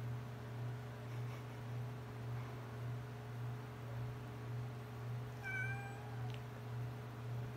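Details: A domestic cat sitting on a couch gives one clear meow late in the recording, a short slightly falling tone with a few harmonics, over a steady low electrical hum with otherwise quiet room sound.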